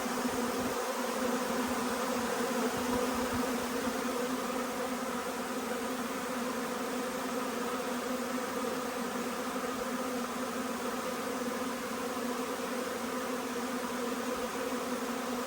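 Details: Huge honey bee swarm arriving, a long unbroken buzzing drone from many bees, slightly louder at first and then even, with faint low bumps early on.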